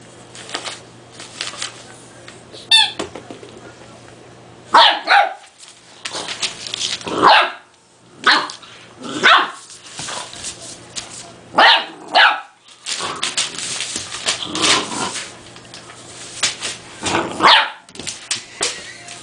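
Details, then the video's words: Two-month-old Dogue de Bordeaux puppy named Beba, a French Mastiff, barking at a small toy that scares him; repeated short, high yappy barks in irregular bursts, about a dozen across the stretch, with handling noises between. "Dogue De Bordeaux Puppy Mad At Toy (2 Months) Beba"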